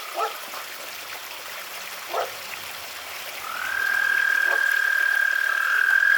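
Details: American toads (Anaxyrus americanus) calling at night in a suburban backyard in Pennsylvania, in the 60s °F, give a long, steady, high musical trill, with a few short sharp sounds before it.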